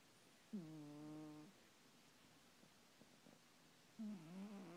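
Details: Domestic cat snoring while asleep at night: two tonal, droning breaths about a second long each, the first steady and humming, the second wavering and rising, with quiet pauses between.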